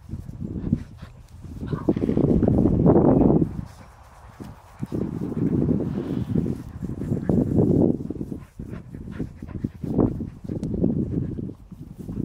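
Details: Lola and Gigi, two dogs, romping together at Queens Park Dog Park; rough, low growling bursts, loudest for over a second early on, then a steady run of grumbling pulses with brief quiet gaps.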